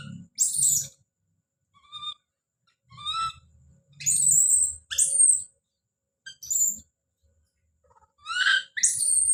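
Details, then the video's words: Baby monkey named Don calling out: shrill, high screams that rise and then fall, mixed with shorter tonal, harmonic cries in separate bursts. Soft low rumbling handling noises sit beneath some of the calls. "The sound of baby Don's scream as he called out"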